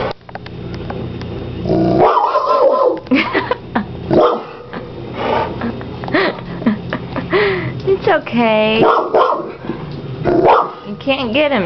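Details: Chevy, a French mastiff, barking at a large hermit crab in a tank; loud deep barks and growly yelps in bursts, mixed with an owner's soothing talk throughout.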